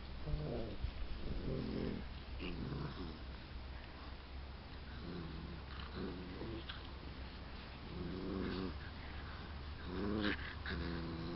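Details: Bullmastiff puppies for sale at Het Hezehof, making soft, short whimpering and grunting calls in low, repeated bursts against a steady low hum.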